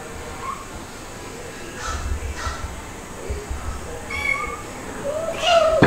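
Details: Playful kittens indoors, white dalmatian-spotted Stuart and black Lunar, with mother cats Mel (calico) and Pepper (black), filmed 3 to 8 July 2022; quiet background, then two short harmonic meows near the end, the last one rising and louder.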